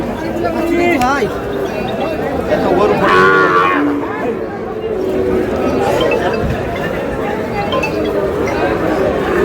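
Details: Sahiwal bull calves at a cattle market where a farmer from Comilla is buying, 7 June. A drawn-out harmonic moo rises near the middle, set against steady crowd chatter and bargaining voices.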